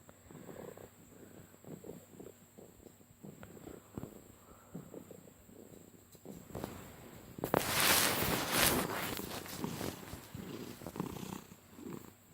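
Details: Pet cat Harley, female, purring while being petted, a rough rumbling purr likened to a monster truck motor; steady low pulsing throbs, broken midway by a loud burst of rubbing and handling noise.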